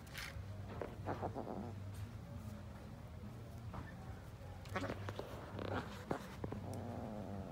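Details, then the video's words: Kittens play-fighting, giving short harsh bursts of growly, mewing sound around the one- and five-second marks, separated by quieter scuffling, with a steady low hum underneath. "Kitten fights playing"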